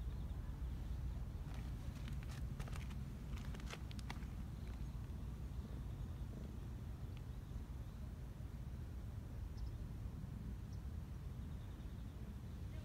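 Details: Black Persian cat, a park community cat in Japan, purring in its throat for the first time while being petted and happy; a continuous low rumbling purr throughout, with a few soft clicks and rustles early on.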